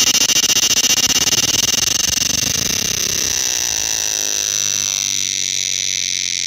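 A cicada sings a loud, steady, high-pitched buzzing drone with a fast pulsing texture.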